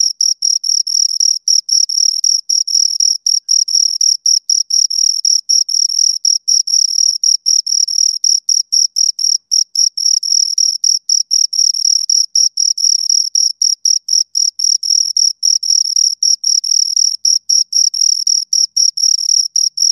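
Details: Continuous chirping by two crickets, high, ringing pulses running nonstop at a regular pace near four per second, pitch unchanging throughout, with a thin upper harmonic and a silent background.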